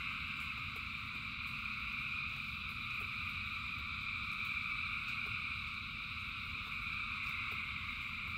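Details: Rain falling over a huge frog chorus, thousands of voices blending into a continuous buzzing drone in several layered bands, dotted with brief clicks and a steady low splash of water.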